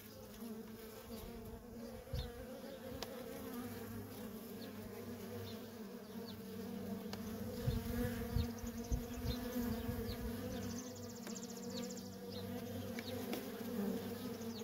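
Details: Worker honey bees in nonstop traffic at a feral colony, a dense continuous hum with steady bands near 250 and 500, individual passing bees adding brief rising whines, low rumbling thumps underneath.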